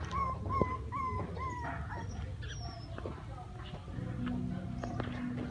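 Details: Playing puppies crying: four or five distinct high whines, each sliding up then dropping, come in quick succession early on, then fade into softer scattered squeaks over background hum.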